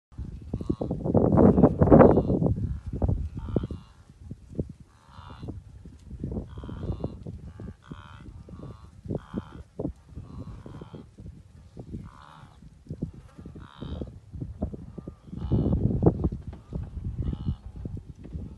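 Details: Wildebeest herd during the great migration on the southern Serengeti plains near the Naabi Hills; a dense, continuous chorus of deep, overlapping grunts and low moaning calls from many animals.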